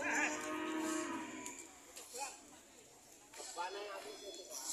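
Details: Cows kept for sale produce a short, throaty moo of about one second at the start, then quieter rustling, murmuring and faint distant sounds fill the rest.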